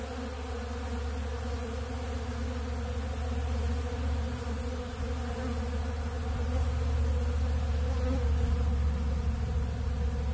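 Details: A dense swarm of honeybees feeding on ultra bee pollen from a big blue feeder drones loudly and evenly, a deep buzzing hum that swells slightly in the second half.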